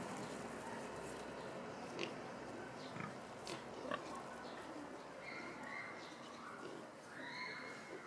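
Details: Fat domestic pigs lazing and sunbathing in Tierpark Görlitz zoo, with piglets playing nearby; short rough grunts near two, three and four seconds over a steady murmur of visitors' voices, with higher human voices toward the end.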